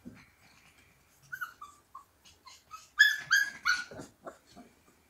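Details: Siberian Husky puppies singing together: brief soft whimpers and thin rising whines, then a burst of louder harmonic howling yelps in the middle, fading to faint whimpers.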